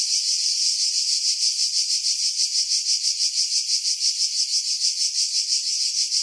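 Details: Cicada chorus recorded in July among pines above Pefkos Bay on Skiros, Greece: an unbroken, hissing high buzz throbbing in steady pulses roughly three per second, no other sounds audible.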